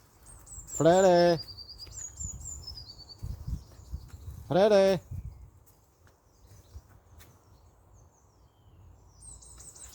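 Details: Bengal kitten out on an outdoor walk gives two drawn-out, harmonic meows about four seconds apart, while high thin bird chirps sound in the background over a low outdoor rumble.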